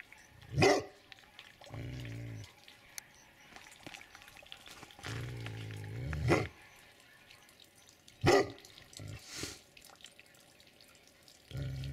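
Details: Family of Tibetan Mastiffs: loud deep barks spaced several seconds apart, separated by lower growling or rumbling sounds, with steady background hum.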